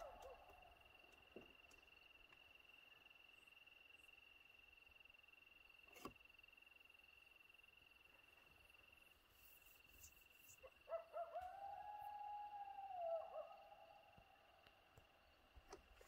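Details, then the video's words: Two coyotes call to each other in Hiawatha National Forest, one fairly close to the recorder; a brief, wavering mid-pitched howl sounds over a steady background of insect trilling. "Two Coyotes Calling to each other"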